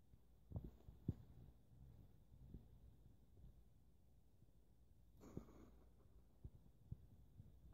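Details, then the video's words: Freshly bathed hedgehog sulking under a towel, giving brief low puffs and clicky snorts in uneven bursts, with a louder rustling huff around five seconds, all faint against a steady indoor hum. "Grumpy hedgehog huffing under a towel"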